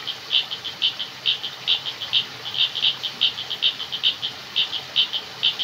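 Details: Frogs calling in a jungle at night: rapid, regular high-pitched clicking pulses, roughly two to three per second, steady throughout against a faint hiss of background noise.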